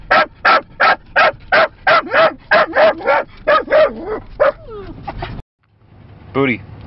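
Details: Small dogs, a dorkie and a Yorkie puppy, barking on a car trip through Lancaster County. About a dozen evenly spaced sharp barks trail off into a falling whine. After a short silence comes one yelping whine, and a man speaks over them.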